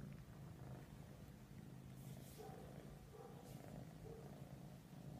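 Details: Persian cats cuddling, a continuous low rumbling purr under the whole stretch, with brief soft rustles and faint higher tonal squeaks mid-way.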